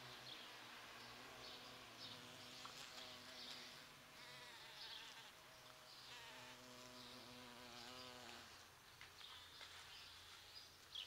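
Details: Large bumblebees buzz around flowering sete capotes (Campomanesia guazumifolia), attracted by its rose-scented blooms from mid-November. A loud, rich humming buzz rises and falls as insects pass close, then fades after about eight seconds.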